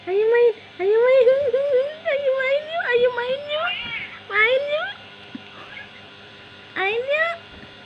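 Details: Kittens at play, with a run of high, rising and wavering meows in quick bursts, a pause, then one more rising meow near the end; human speech is heard before.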